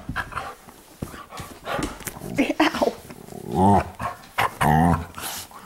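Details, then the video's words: Pups playing inside at night in the living room. Scuffling and bumps give way to two short, throaty growl-whines, each drawn out and slightly wavering, in a small room. "Dogs Playing Inside"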